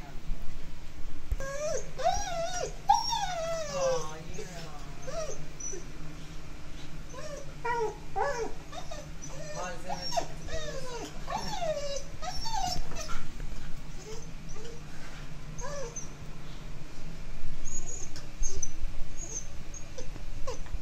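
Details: Lucy, an Alaskan Malamute, frightened during a short summer thunderstorm: a long run of high, wavering whines and whimpers that rise and fall in pitch, some in quick bursts, over a steady low rumbling background.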